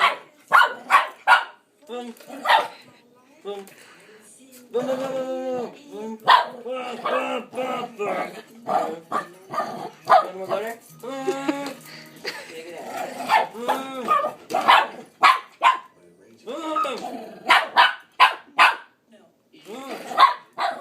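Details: Pet dog named Pepper chasing a person who imitates a vacuum cleaner. Sharp barks and yelping arches, some in quick bursts, mix throughout with a person's voiced whooshing and growling noises indoors.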